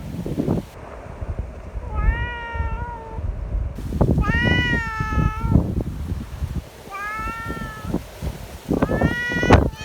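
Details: Affectionate community cats at a gathering in strong wind, wanting strokes; four bright, harmonic-rich meows, arched and rising-falling, spaced a couple of seconds apart amid wind buffeting and faint voices.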